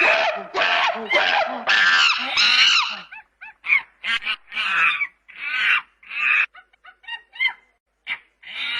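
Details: Playful monkey screaming in its natural habitat: a harsh, tonal shrieking sequence at first, then broken into short chirps and scratchy cries with silent pauses.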